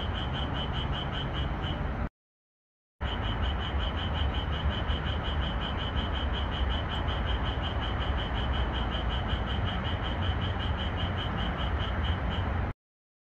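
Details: Japanese tree frogs chorusing at night in a red pepper field beneath the moon, edited for more calling: an unbroken train of quick, sharp, high pulses with a deep background hum, cut by a short gap of silence.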